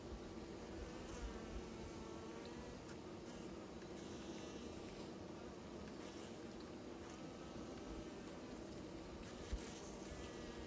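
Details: Bees making new nests give a steady, dense, low droning hum with no clear breaks, many wingbeats blending into one continuous buzz over a faint background hiss.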